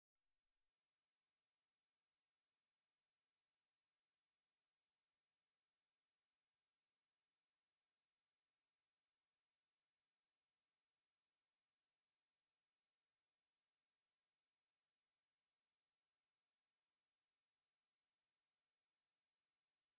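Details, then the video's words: Ruspolia katydid song from a 2020 National Institute of Biological Resources recording: an unbroken, very high, steady hissing buzz that fades in over the first two seconds and then holds at even loudness, with no other sounds. "매부리, 여러번 듣기, 곤충소리"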